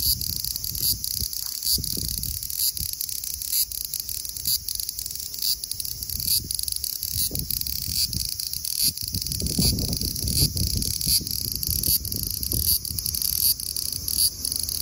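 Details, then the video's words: Large brown cicada (Graptopsaltria nigrofuscata) singing lively at 24 degrees (75 °F): a steady, sizzling high-pitched drone with faint pulsing, over rumbling low background noise. "Large brown Cicada singing lively at 24 degrees(75 fahrenheit)"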